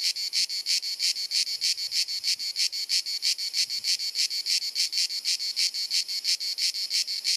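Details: In Dalmatia, Croatia, summer cicadas sing on a hot sunny afternoon; the penetrating, soothing drone beats in rapid even pulses, around three per second, with the high buzz steady throughout.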